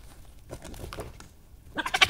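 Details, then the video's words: Two European badgers meeting in the middle of the night on 13 May 2018, a big male among them, in a meeting that turns friendly: soft grumbling pulses, then a sudden burst of harsh, high yelping chatter. "Some badger vocalisations as two badgers meet"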